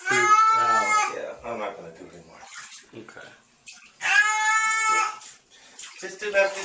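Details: Frightened kitten during a wash to remove loose hair lets out two long, drawn-out meows about three seconds apart, with a person's soothing talk in between and after.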